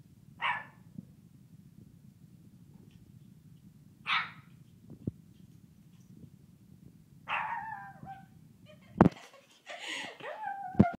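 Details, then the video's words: Kingston, a Shih Tzu puppy, gives short yips at about four-second intervals, then a wavering, rising howl-like cry near the end over low background hum. "Kingston, the howling Shih Tzu puppy"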